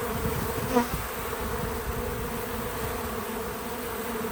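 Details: Bees visiting a feeder outdoors on a small farm buzz steadily in a low droning hum, with a brief louder pass near the start.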